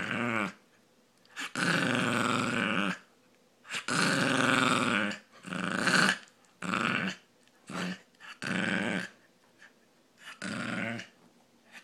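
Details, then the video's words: Brussels pug making a funny noise indoors: harsh, raspy, snorting bursts, some drawn out over a second or more, others short, repeated about every two seconds with brief pauses between. "brussels pug makes a funny noise"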